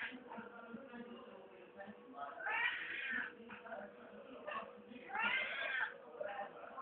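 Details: Grumbling cat giving low, continuous murmuring growls broken by two louder, wavering meow-like rises, over a steady faint hum.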